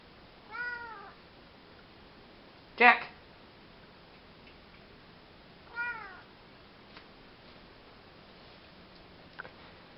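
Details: Male Maine Coon cat rolling around and meowing because he wants to be fed: two clear, drawn-out meows that bend downward, about five seconds apart, with a sharp click between them and a soft click near the end.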